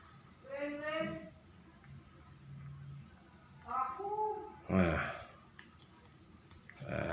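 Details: Hungry pet cat being given snacks, meowing twice: a drawn-out meow near the start and a shorter, falling one later. A person talks softly throughout, with clicks and handling noises.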